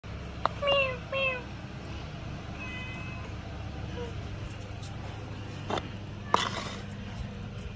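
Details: Domestic cat eating, giving two clear harmonic meows close together near the start, then a softer, fainter mew; a steady low hum and background noise run throughout, with a couple of sharp clicks later.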